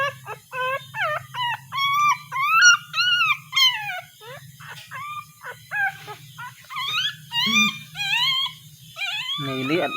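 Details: Puppy crying as it searches for its mother: high, thin whimpering cries in rapid succession, each bending up then down, some long and wavering, over a steady low hum.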